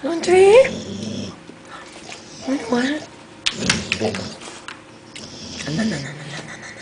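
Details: Shep, a pet dog making funny sounds indoors, gives a short rising whine-like vocal at the start, followed by a person repeatedly telling it to sit, with further talking and soft rustling through the rest.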